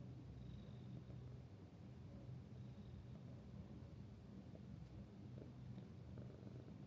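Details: Resident cat of Minshuku Nozaki guesthouse in Ito Onsen, Japan, a friendly animal settling close, gives a low, unbroken purr that pulses softly for the whole stretch, with faint quiet background tones.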